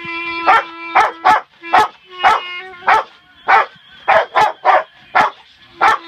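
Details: Pet Rottweilers Bella and Penny sing along as a clarinet is being learned: about a dozen short, harsh yowling bursts roughly every half second, layered over sustained clarinet notes.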